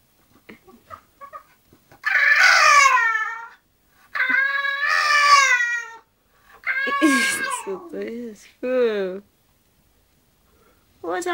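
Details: English bulldog Zenuś settling down to sleep indoors, giving drawn-out, whiny, harmonic moans that fall in pitch. Four separate cries of one to two seconds each are broken by pauses, with a soft rising start of another at the end.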